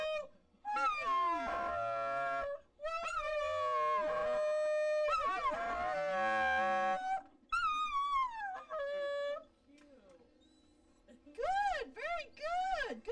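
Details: Pet Dachshund 'singing' on cue: long, wavering, tuneful howls in three sustained runs of about two seconds each, then shorter quavering notes and, after a pause, softer rising-and-falling yowls near the end.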